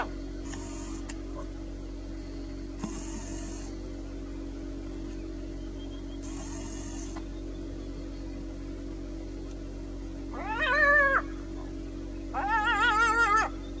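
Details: Near the end, one of a jackal couple confronting a caracal calls twice: short, quavering, whine-like yelps with a rich, wobbling pitch, over a constant low engine drone, with a few faint hissing bursts earlier.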